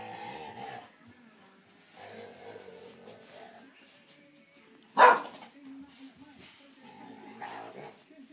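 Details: Clumber Spaniel puppy, described as annoying, whining in drawn-out nasal moans with one sharp loud yelp midway, followed by further low whimpers.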